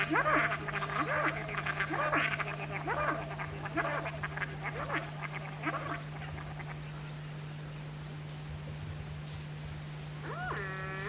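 A male swamp deer gives a run of short, nasal, braying calls to attract females in heat.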